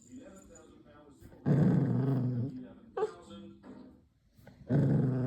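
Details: A poodle puppy shifts from angry-sounding to cute noises, giving low, rumbling growls in short bursts that soften between them, with a person talking.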